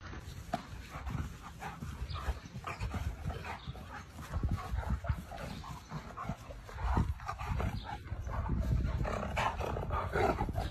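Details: Doberman and Cane Corso fighting: continuous low, rough rumbling growls and snarls with harsh bursts, scuffling and heavy movement noise throughout, intensity surging around the seventh second and staying loud to the end.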